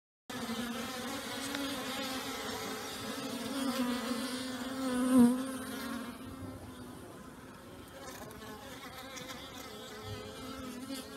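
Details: Many honey bees active outdoors on an unusually warm new-year day following a night of torrential rain; a continuous low humming drone with a clear steady pitch band, briefly swelling as a bee passes close midway.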